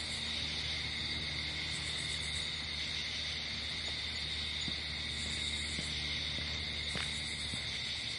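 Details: Crickets at night outdoors in nature, a steady continuous high trilling chorus in bands, with a low droning hum underneath and a few faint clicks.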